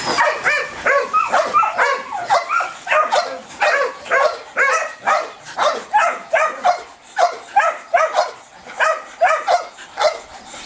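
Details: Belgian Malinois showing high ball drive, barking in a rapid, steady run of sharp yelping barks, about two per second for ten seconds with no other sounds.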